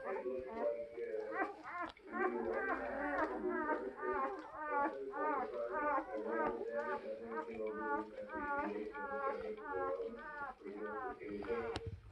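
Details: Newborn German Shepherd puppies indoors giving high, arched squealing whines that overlap in a steady stream, roughly two per second, with a person's voice talking quietly beneath them in a small room.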